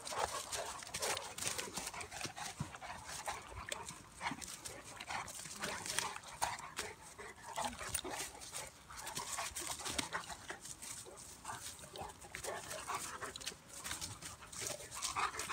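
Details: Two dogs, a Bulldog/Staffy cross and a Cane Corso, wrestling in play: steady scuffling with rough, noisy growl-like bursts and short whimpering snorts packed throughout, loudness rising and falling without pause.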